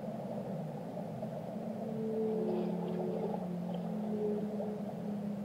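Whale song: low, drawn-out tonal moans that slide gently in pitch over a steady underwater rumble.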